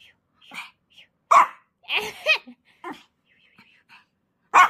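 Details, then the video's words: A playful Pomeranian puppy barking during play, giving short sharp yaps in bursts, some doubled, with a person's voice speaking nearby between the barks. "앙!앙! 쿠키😜😜 #포메라니안 #놀이"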